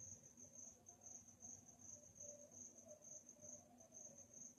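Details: Nocturnal crickets giving rapid, high, ringing chirps in an even rhythm, about two to three pulses a second, while a faint warbling mid-range drone and low background hum continue.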